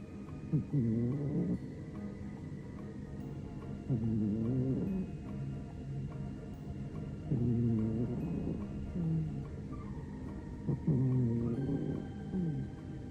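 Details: Maine Coon cat snoring while sound asleep; low, rasping snores come in four swelling bursts about every three and a half seconds, with faint steady tones humming in the background.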